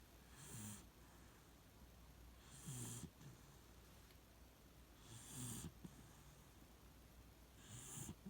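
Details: Beagle named Shiloh snoring while asleep in its usual spot: soft low rasping snores with breathy hisses, each breath cycle about every two and a half seconds, four breaths heard in a quiet room.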